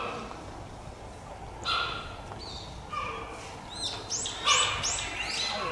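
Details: Cheetah, a cub of Dura, at Tama Zoological Park, Japan: short, level, whistle-like chirps with a fainter higher overtone, several within a few seconds. Quick, high, descending chirps and a low murmur of visitors sit behind them.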